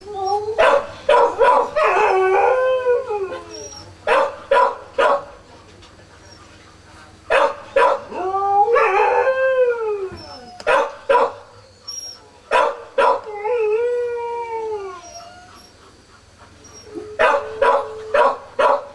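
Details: Kishu puppies, four days old, born 16 September 2020, whining: drawn-out, wavering tonal cries that rise then fall, several in overlapping runs, broken by short sharp clicks and rustling bursts.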